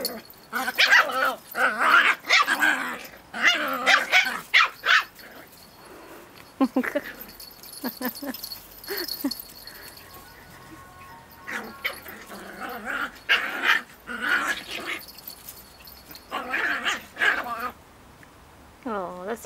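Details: Two dogs play-wrestling over a twig; bursts of high yipping barks and growls cluster in the opening seconds, then quieter scuffling, with more barks near the end and a faint human voice in places.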